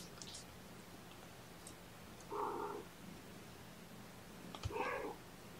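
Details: Foster kittens, several held in a lap during the first syringe formula feeding of the morning, 8 May 2018, give two short harmonic mews about two seconds apart, each lasting under half a second, over a quiet indoor hum.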